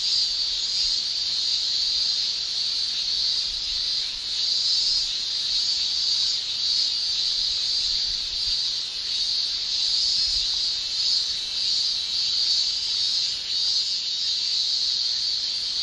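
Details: A constant shrill wall of sound from male cicadas singing by tymbal in a Japanese summer, high and buzzy, with light rhythmic flutters running through it over the whole span.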